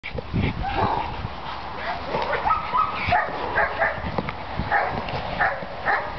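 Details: Dog in beginner bite work training at Florida Dog Academy in Florida, giving sharp, rapid barks in uneven bursts several times a second, with some speech and outdoor background noise.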